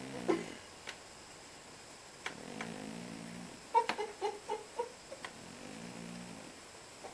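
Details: A snoring house cat asleep: quiet, rumbling breaths spaced several seconds apart, with a cluster of small taps and clicks in the middle.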